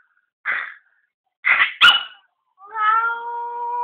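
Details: Angry Chihuahua barking because it thinks there is a cat: three sharp, short barks, the last two close together, then a drawn-out, steady whining howl.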